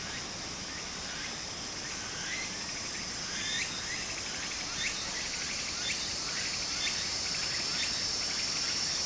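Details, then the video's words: Japanese summer cicadas singing near a brook, a sustained piercing high drone with clipped buzzy pulses repeating rapidly and growing louder midway, set against the gentle steady rush of the stream. "小川の流れと蝉の声 自然音 ～夏～ Japan Sound of nature Cicada's voice"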